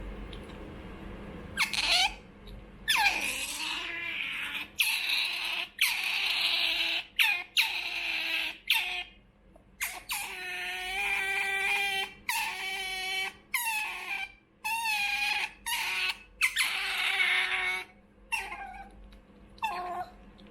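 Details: Choco, a young female pet otter born 28 November 2019 and orphaned after her mother was trapped, begs for food indoors: strained, harmonic squealing cries in bursts of one to two seconds, with short gaps, over a steady low hum.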